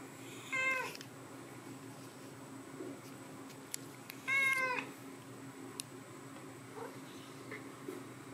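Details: Two teenage house cats in the morning; two distinct tonal meows about four seconds apart, each bright and harmonic, slightly rising then falling, with small clicks and household noises between them indoors.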